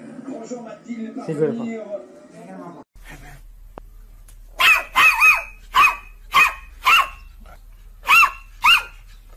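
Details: Domestic dog barking: after a few seconds of talking and music, a run of about eight sharp, ringing barks, most rising then falling in pitch, spaced roughly half a second to a second apart.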